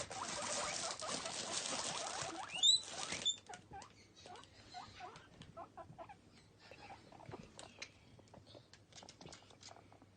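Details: Pet male guinea pigs Toffee and Fudge, playful and happy, popcorning and eating carrot stick snacks: about three seconds of loud rustling and chewing patter, then a string of short, quick, mid-pitched squeaks with soft shuffling between them.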